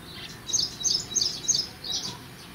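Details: Short series of piercing high chirps from an Indian palm squirrel eating pomegranate, four or five quick notes close together, with quiet low background hum.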